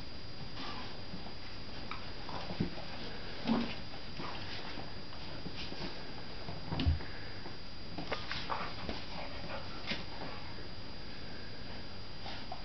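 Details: Puppies at play with an adult dog named Dickens, their uncle. A few short soft whimpers and grunts stand out around the third-and-a-half and seventh seconds over a steady low hum and faint rustling of movement.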